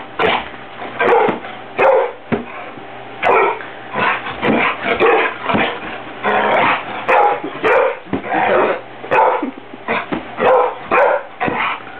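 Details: Ruby, a pet dog, barks at someone fluffing pillows in a room: rapid, sharp barks in bursts, often several per second, continuing almost without pause for twelve seconds, with a faint steady hum underneath.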